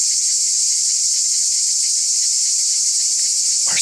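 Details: Cicadas on a hillside among the Byzantine ruins of Mystras in the Peloponnese, Greece, very loud: a steady unbroken high shrill buzz filling the whole clip, with a brief thump near the end.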